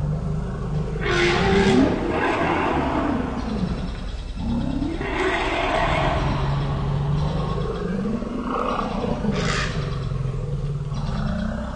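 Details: African elephants, the Pias and the Noors, two mothers about 40 and 38 with their two-year-old calves, startled by a sitatunga and huddling together; deep continuous rumbles with rising and falling tones, sharper trumpeting bursts at intervals.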